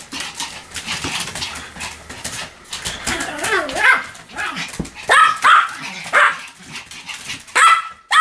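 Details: Pomeranian yapping over steady background noise, with shrill barks bunched in quick pairs and a few whiny, rising notes between them.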